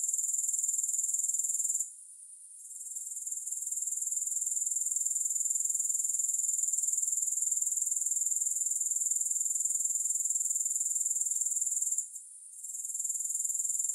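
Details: Grasshoppers keep up a constant high, hissing trill with fast regular pulses, interrupted by short quiet gaps around two and twelve seconds; no music or voices.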